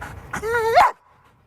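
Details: Belgian Malinois during a training session: one loud, tonal whine that holds steady, then bends sharply upward into a high yelping squeal and cuts off abruptly, followed by quiet.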